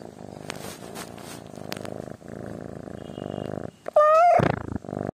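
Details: Sleeping kitten purring in a soft low rumble with brief gaps, then giving one short, louder, tonal meow that rises and falls before the purring returns faintly.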